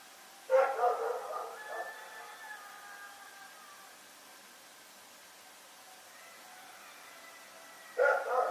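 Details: Domestic dog barking at night: a burst of loud, harsh barks near the start trailing into fainter, drawn-out tonal whines, a long quiet stretch, then another sharp bark bout at the very end.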